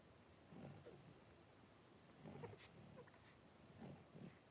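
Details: Three-week-old blenheim Cavalier King Charles Spaniel puppies, five littermates wrestling at home, make quiet low grunts and snorts in three brief clusters, with a small squeak and light rustling between them.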